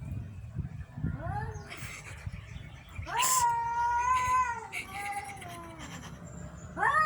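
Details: A cat gives drawn-out meows. One long, steady, wailing meow runs from about three to four and a half seconds, with shorter, rising meows before it and after it.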